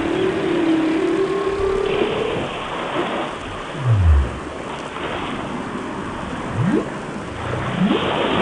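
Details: Whale song from a nature film: a long wavering mid-pitched tone at the start, then a deep downward-sliding moan and sharp rising sweeps, set against a dense, rain-like hiss.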